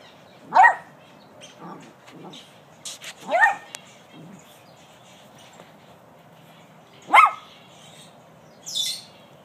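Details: Rescue pup howling at a newly found object, a banana: three short, loud, yelping howls that rise and fall, at roughly 0.6, 3.5 and 7 seconds, with quieter whines between and a woman talking to the dog.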